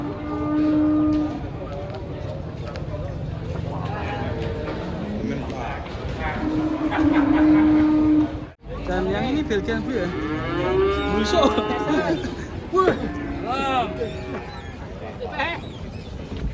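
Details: Hefty cattle being unloaded from a truck give long, flat, steady moos lasting about a second each, with music, voices and a brief cutout midway through.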